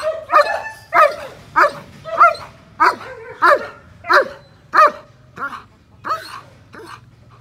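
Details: Eighteen-month-old German Shepherd with a semi-long coat barking steadily: about twelve sharp, loud barks, one every 0.6 seconds or so, the last few slightly softer.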